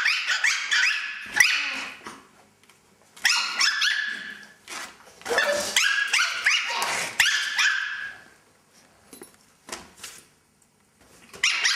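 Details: Two young male Chihuahuas, the puppy Lucky and Hummer, playing together in their new playpen tent; bursts of high, squeaky yips and little barks in rapid runs, with short pauses between.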